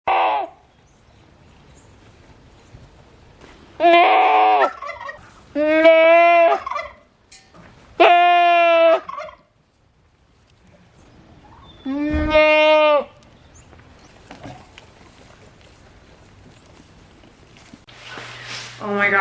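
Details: Female farm goat screaming in the morning, upset after a late start because she was not milked first thing; four loud, nasal, strongly harmonic bleats, each about a second long, spaced a few seconds apart over quiet background noise.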